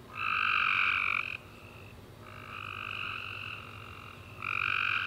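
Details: Tree frogs singing at night after a warm summer rain: a loud buzzy trill, a softer fainter stretch of calling, then the loud trill returning.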